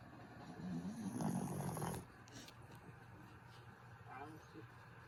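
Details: Griff, a sleeping pet dog, gives one long, rough, breathy snore lasting about two seconds, low and noisy, then the room falls to a quiet hiss with faint soft sounds.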